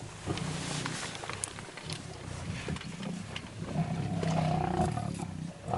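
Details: Lions eating a buffalo alive: low, rough growls and rumbles run throughout, with a drawn-out, steady moaning tone rising out of the din around the fourth second, plus scattered crackling and short thuds.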